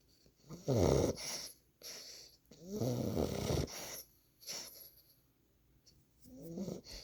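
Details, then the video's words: A 9-week-old Boxer puppy sleeping on a lap, giving loud rattling snores, long buzzy breaths with fluttering texture, separated by quiet pauses. "Boxer puppy Gizmo snoring"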